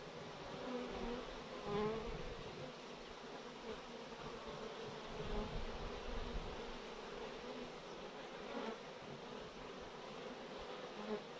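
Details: A swarm of honey bees being collected from chain-link netting, a thick, continuous hum with gentle swells in loudness every couple of seconds and some low rumbling.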